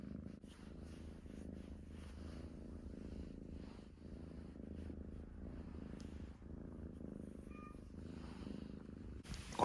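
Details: Sleeping house cat Koyu lets out rare snores, a continuous low throaty rumble rising and falling with each slow breath, fairly even throughout, in a quiet room with a sudden noise at the very end.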